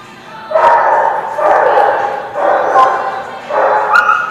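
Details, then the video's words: Dogs at a barking lot, recorded 14 April 2017: four long, strained barks or howls about a second apart, dense and mid-pitched, with a brief high yip near the end. "The Barking Lot"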